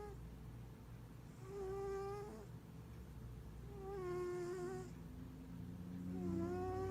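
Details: Giant Maine Coon cat purring and snoring: a steady low rumbling purr underneath, with a squeaky, nasal whistled tone on each breath. The tone rises slightly and recurs roughly every two seconds, with three breaths heard.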